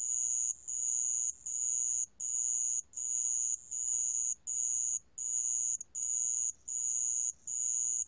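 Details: Sand cricket recorded for a 2020 national biological resources collection, giving a piercing high-pitched chirping song in evenly spaced bursts, each about half a second long, with brief pauses between them, about 80 per minute.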